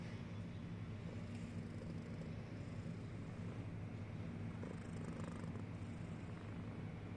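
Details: Sleeping cat snoring, a steady low rumble held evenly throughout with no clear breaks, under faint high hiss.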